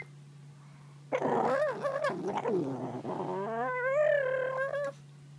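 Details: Pug puppy guarding her bone with strange noises: a sudden loud, gargling growl that slides into a long wavering, whining moan lasting about four seconds, over a constant low hum.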